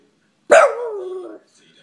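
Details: Asked to sing, a Boston Terrier trained by its owner lets out a sharp bark that trails straight into a short, wavering, downward-sliding howl lasting under a second.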